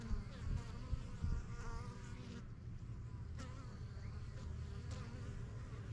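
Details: Honey bees circling a new yellow hive in a backyard, getting used to the area; thick low buzzing hum with close fly-by whines rising and falling, and soft knocks as bees land at the entrance.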